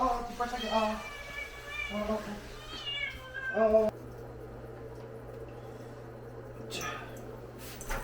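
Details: Sol, a pharmacy cat in Hongdae, protesting during a bath with three or four short harmonic meows in the first four seconds, then quieter room hum and faint voices.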